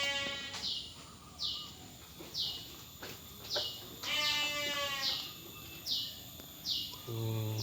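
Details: Domestic sheep kept by PT Jatinom Indah Agri in Indonesia. A wavering, harmonic-rich bleat rises midway, with a shorter one early on. Bright, repeated high chirps sound about once a second throughout.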